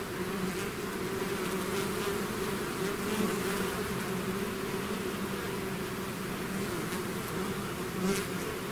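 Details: Natural buzzing of a bee swarm out of its hive, a constant layered drone with clear low humming tones, slight flickers of nearby wingbeats, otherwise uniform.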